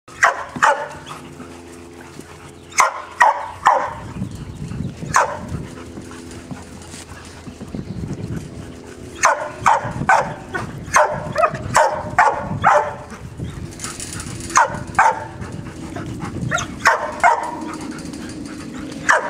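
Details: Labrador Retriever puppies playing with a stuffed duck indoors: bursts of short, high yips and barks in quick clusters, mixed with lower growly grumbles and scuffling, bumping play noises between bursts.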